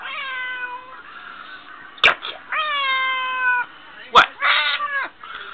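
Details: A talkative pet cat meowing to her owner, voicing what is on her mind: several long, level, tonal meows in a row, broken by two sharp clicks or knocks and a man's voice talking back.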